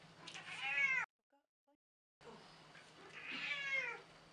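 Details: Cranky elderly house cat, around 14 years old, giving two long wavering meows separated by a short silent cut, each arching in pitch, over a faint steady low hum.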